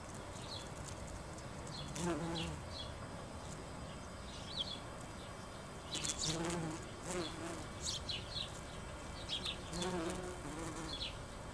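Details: Bumblebees in a back garden in June 2009 give a low, droning buzz that swells and fades as they pass, with small birds chirping behind.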